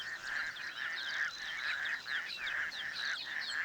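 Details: Toads breeding in the shallows of a small dam near Cape Town, where females lay eggs and males fertilize them externally; dense chorus of rasping croaks in overlapping bursts, with higher chirps scattered throughout.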